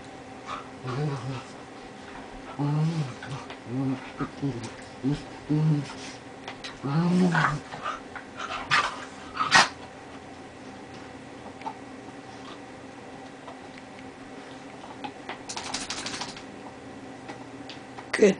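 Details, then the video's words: Dogs playing together, an 11-year-old Lhasa among them, in their first real play session; a run of low rumbling growls in bursts over the first eight seconds, then scuffles and rustling, with music faintly behind. "dogs at play"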